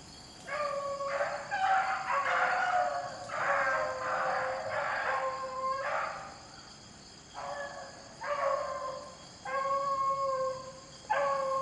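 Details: Pack of beagles trailing rabbits in rainy weather: long drawn-out bawling bays, several running together into sustained stretches, then three separate cries after a pause, over a steady patter of rain.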